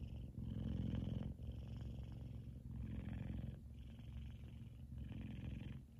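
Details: An F2 Savannah cat, a male, purrs loudly while sleeping and twitching, a deep rumbling that swells and fades with each breath.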